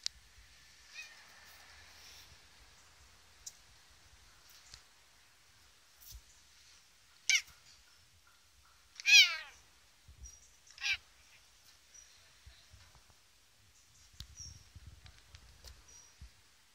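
A Bengal cat gives a few short, high-pitched meows spaced a couple of seconds apart.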